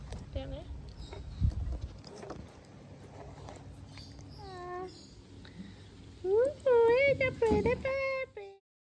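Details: Teacup poodle named Bella, during playful moments, with a person chatting to her at first, then a burst of high, wavering whines and yelps, each bending up and down in pitch, over the last few seconds.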